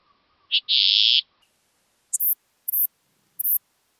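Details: Recorded at Bollenberg, France, on 9 October 2022, a Western saddle bush-cricket gives a drawn-out, lower hissing burst, then three short, very high, scratchy chirps spaced about half a second apart.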